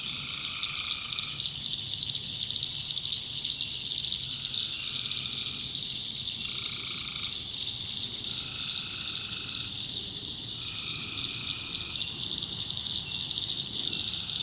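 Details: Tree frogs at night in a North Carolina backwoods swamp: beneath a constant shrill chorus, one caller repeats lower nasal trills of about a second each, roughly every two seconds, seven times over the span.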